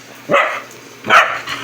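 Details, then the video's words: Hungry Aspin dog excited at feeding time, two short sharp yelping barks about 0.8 seconds apart, each bright and slightly raspy, with quiet room noise between them. "time to eat skippy, excited na naman"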